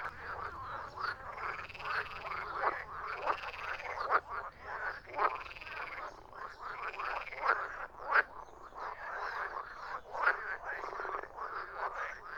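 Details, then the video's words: Chorus of croaking frogs: steady overlapping calls with rhythmic arched croaks recurring roughly every second, plus sharp brief clicks. "Frogs croaking"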